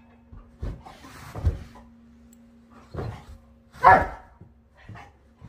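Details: Doberman barking while playing as usual with a Siamese cat; several short, rough barks spaced irregularly over about five seconds, the loudest near the end, with a steady low electrical hum underneath.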